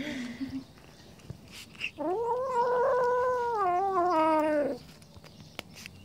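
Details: Jealous Siamese cat guarding fish and refusing to share it: one long, drawn-out harmonic yowl of nearly three seconds, rising slightly, holding steady, then dropping at the end, with quiet room noise before and after.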